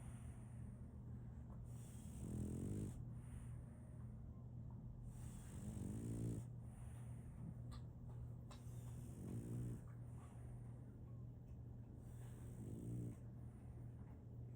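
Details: Solaimy, a female French Bulldog, snores in her sleep: four softer, raspy low snores spaced about three to four seconds apart, set against a constant low background hum.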